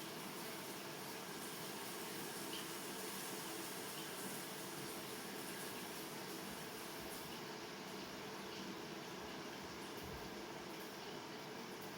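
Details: Steady rumbling rail noise like a passing train carriage, with no animal voice. The broadband clatter holds at an even level throughout.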